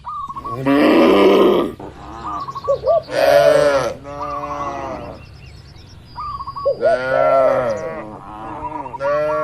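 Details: Cattle herd relaxing and grazing among oil palms; rough, loud bellowing moos in bursts, two pairs separated by a quieter pause, with faint bird calls mixed in.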